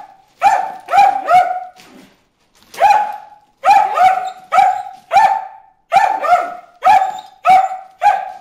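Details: Bruce the dog barking at fish in a water hole: loud, sharp barks with a strong harmonic voice, in bursts of two or three, then a pause, then steady single and double barks roughly every half second.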